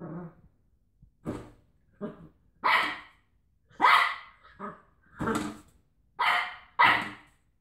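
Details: Cocker Spaniel playing rough with a washing tablet box, letting out a string of short, rough, growly barks of varying loudness, roughly eight bursts in under eight seconds, with quieter muffled huffs between louder yaps.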